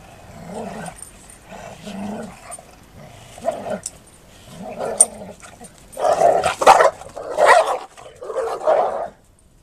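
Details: A pair of female Golden Retrievers play that abruptly turns into a proper fight: throaty growls repeat in short pulses, then build into louder, harsher snarling and bark-like outbursts near the end over a quiet background.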